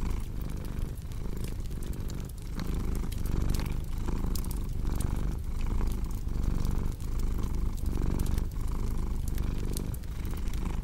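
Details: Continuous low cat purr pulsing in rhythmic in-and-out breaths roughly every second, with a cozy fireplace crackling and popping across the whole stretch.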